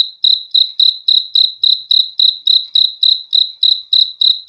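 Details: A cricket's high, ringing chirps repeat at a brisk, even pace of roughly three and a half per second. Each pulse is clean and sharp, against silence.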